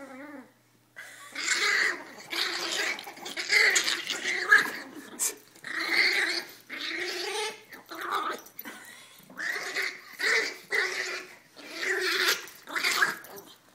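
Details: Two teacup Chihuahua sisters, including black Coco, play fighting: a string of raspy, gargling growls in bursts of about a second each, separated by brief pauses, roughly ten bursts with some quieter snuffling between.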